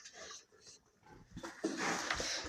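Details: A restless young sow on natural feed gives rough, breathy grunts and snuffles, soft at first and then louder and more insistent, as she comes into heat, with a person speaking nearby.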